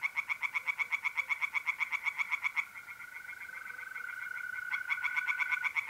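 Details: Tree frogs singing in a pond at night in mid-April, north-east Italy: fast runs of rapid, evenly spaced croaks, a brief pause, then another burst, over the steady high trill of mole crickets.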